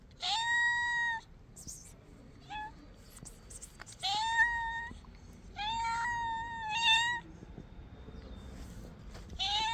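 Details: Three hungry stray kittens or cats crying loudly for food; five or so rising meows, each about a second long, spaced irregularly, with clicks and rustling between calls.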